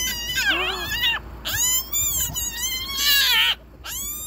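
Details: Hyena cub, Kruger National Park, screaming as a sibling holds it by the nose: repeated piercing, harmonic squeals that swoop up and down, four or five outbursts separated by short gaps.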